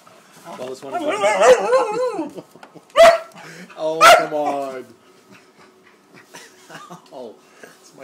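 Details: Upset at a paper bag, Great Dane puppy Wallace, 13 weeks old, makes a wavering, wobbling whine-like vocal lasting over a second, then two loud sharp barks about a second apart, with quieter bag rustling after.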